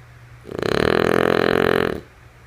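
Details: Sleeping female French Bulldog named Lulu giving one loud rattling snore of about one and a half seconds, a fast vibrating buzz that swells and fades, with a low steady hum underneath in a quiet room.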